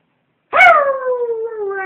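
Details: A dog's single howl after a moment of silence: a bright opening swoop, then a long, steady, slightly falling wail with rich overtones held to the end.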